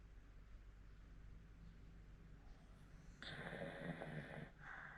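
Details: An old Hokkaido dog, aged 14, snoring at home in Sapporo. About three seconds of quiet low hum, then a sudden harsh, buzzing snore of roughly a second and a half, ending in a soft exhale.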